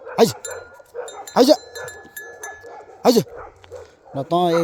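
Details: Bhote Kukur, a Himalayan sheepdog in Nepal, gives three loud, sharp single barks spaced about a second and a half apart. A man's voice calls the dog between barks, and a brief rasping sound closes the passage.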